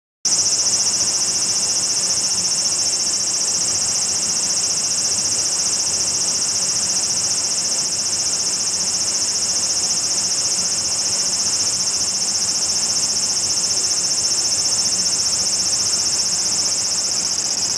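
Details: A large brown cicada keeps up a continuous, harsh, sizzling buzz while walking toward the camera and apparently paying attention to the lens. The high, dense drone stays steady and unbroken throughout.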